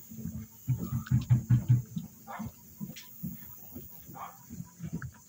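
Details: Blind raccoon in Anapa, Russia, giving low, rapid grunting pulses in a burst during the first two seconds, then scattered softer grunts, with faint clicks and rustling.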